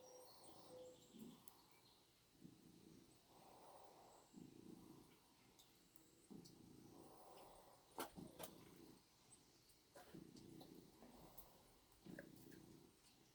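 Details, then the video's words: Orange tomcat hugging a dog's tail, purring steadily: low rumbling purr in regular breaths, each burst about a second long with short pauses, plus occasional soft clicks and rustling. "Tomcat hugging dogs tail."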